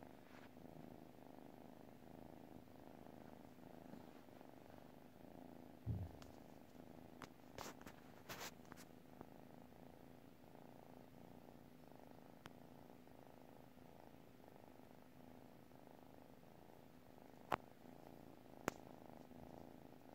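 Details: Cat asleep and purring, a low vibrating hum rising and falling with breaths over twenty seconds; a soft thump and several sharp clicks interrupt early on, two more clicks near the end.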